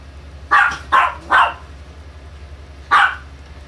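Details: Chihuahua barking indoors: three short sharp barks in quick succession, a pause of about a second and a half, then one more bark, over a steady low hum.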